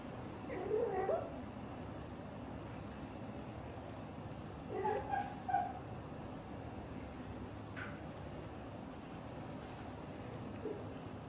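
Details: Blue golden British Shorthair mother cat calling to her kittens inside the home: a quick trilled chirp, then a cluster of short chirping notes mid-clip, followed by faint scattered clicks in a quiet room.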